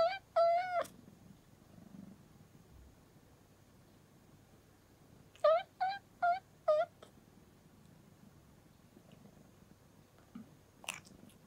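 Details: Young rescued kitten kept indoors as a pet, raised over its first year: a short high meow near the start, then a burst of four quick rising meows around the middle, a faint squeak at the end, quiet room between.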